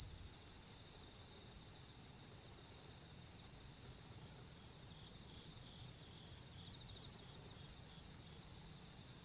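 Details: Autumn insects calling on the night of the harvest full moon, 10 September 2022, Japan: one unbroken, high, steady ringing trill holds at a single pitch throughout, with a fainter thin overtone above and quiet background hiss.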